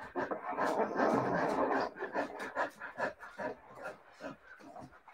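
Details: Siberian Husky puppies panting quickly in rapid soft breathy bursts, a dense rushing stretch early on then steady pulses a few times per second, with faint small yelps mixed in.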